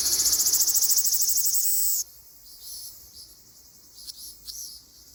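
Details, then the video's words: Ryukyu large brown cicada in an Okinawa forest in mid-June. A loud, rapidly pulsing high buzz cuts off sharply after two seconds, followed by quieter scattered ticks. "セミの鳴き声 リュウキュウアブラゼミ"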